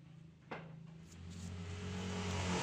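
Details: Bani, a tame stray calico mother cat, relaxing just after giving birth to four kittens; a low, steady rumbling purr builds gradually and grows louder toward the end, with a faint knock near the start.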